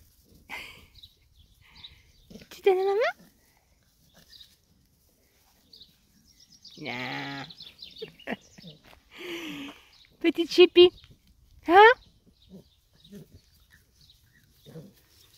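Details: Three-month-old female Staffordshire Bull Terrier puppy, recorded 17 July 2022 while playing fetch: a few loud, high, rising whiny yelps in short bursts between quiet gaps, with a woman speaking French to her throughout.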